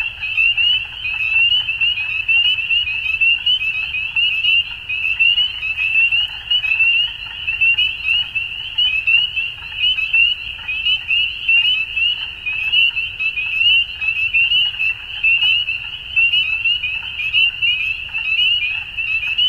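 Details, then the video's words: Chorus of frogs at dusk during spring in Ontario, Canada; a constant piercing band of rapid peeps runs throughout, with faint lower croaking pulses beneath and a quiet low rumble. "Frog Sounds At Dusk"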